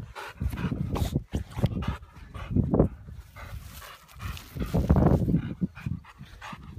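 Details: Frank, a Boxer dog, panting heavily in quick, rough bursts while running around, with loud breathy huffs and low snuffling close to the recorder, and brief pauses between runs.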